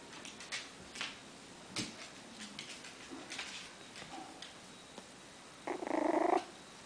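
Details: Female Miniature Schnauzer puppy, 21 days old, liver and tan coat, born 24 December 2014, from a breeder in Shizuoka, Japan, recorded 14 January: soft clicks and rustles, then a short, loud, tonal whine lasting under a second near the end.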